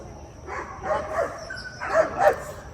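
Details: Five-month-old Belgian Malinois starting a fifteen-day board-and-train program in Cincinnati, Ohio; a run of about five short, sharp barks in two bursts, with faint background noise between them.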